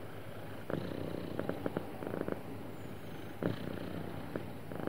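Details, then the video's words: Contented house cat, described as happy, purrs in an even low drone broken by rhythmic brighter pulses clustered in short groups, gentle and unbroken throughout. "Happy Cat Purring Smoothly"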